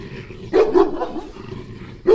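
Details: Two dogs barking at the same time: a pair of sharp, mid-pitched barks in quick succession, a pause, then another single loud bark.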